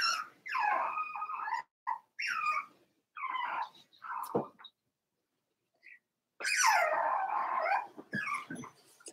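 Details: Four-week-old Cavalier King Charles Spaniel puppies in a puppy pen, crying in drawn-out, wavering, high whiny wails and yelps, repeated in bursts of one to two seconds with brief quiet gaps.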